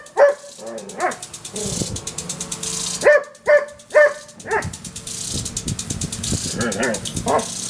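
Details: Irish Setter female barking at a backyard water sprinkler: one loud bark at the start, then a quick run of three sharp barks about half a second apart, followed by softer whines and grumbles against the rhythmic hissing spray.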